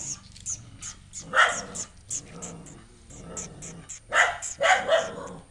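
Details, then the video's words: Household dog barks at a stray puppy newly taken in, not liking him at first; several short barks rise over a background of growls and faint high ticking sounds. "Dog keep on barking at the new puppy, a stray dog"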